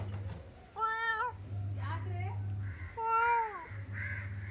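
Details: A cat gives two meows, the first short and level, the second longer and sliding downward, with a softer vocal sound between them over a constant low hum.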